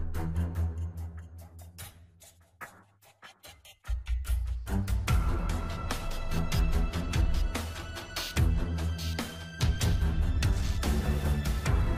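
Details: Dramatic electronic music with pounding drums and bass fills the whole stretch, briefly dropping quieter before surging back.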